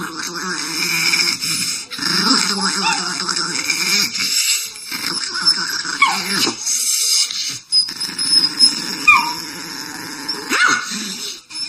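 A dog grumbles and whines in drawn-out, wavering growls, with a few sharp yips breaking through.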